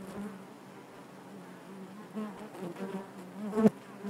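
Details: Low, even buzzing of honey bees within the hive, many wings blending into one drone, ending with a short louder surge from a bee passing close.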